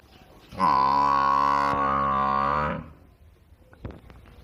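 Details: Single long, level moo from a village cow, held steady for about two seconds before fading, followed by a few faint knocks.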